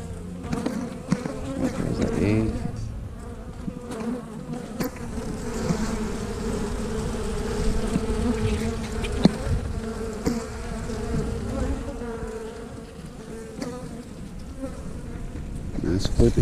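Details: Hive of honey bees humming steadily while a frame is lifted and turned during a check for eggs; the even droning tone runs throughout beneath rustling, scraping and occasional knocks from handling.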